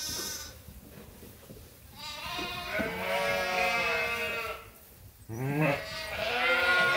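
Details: Sheep at Ewetopia Farms bleating while waiting to be fed: drawn-out wavering bleats from several animals overlap, then a sharper bleat follows a brief lull.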